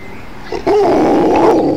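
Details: An Alaskan Malamute responds to church bells with a sudden sustained, quavering howl that begins after a short lead-in and holds steady, loud and harmonic, through the rest of the clip.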